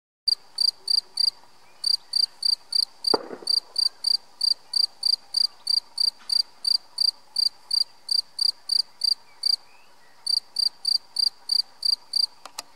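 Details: A European field cricket (Gryllus campestris) sings at St-Orens-de-Gameville, Haute-Garonne, France: loud, ringing chirps repeated about three times a second.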